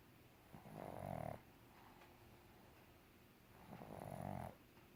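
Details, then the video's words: Pug asleep and snoring; two drawn-out, low, buzzing breaths come roughly three seconds apart, each lasting under a second, over a quiet room hiss. "Pug snoring"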